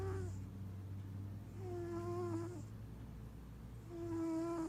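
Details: Sleeping giant Maine Coon cat, purring and snoring. A low continuous purr throbs beneath a thin, squeaky whistle on each breath. The whistle bends slightly downward and comes three times, about every two seconds.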